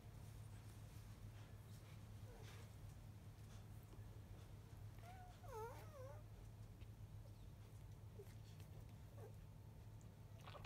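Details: Three black field-type Labrador Retriever puppies, five days old, staying behind to nurse at 11:30 am, pups of 2017 JFA Grand Champion biscuit. One pup gives a brief wavering, squeaky whine midway, amid soft suckling and rustling over a steady low hum.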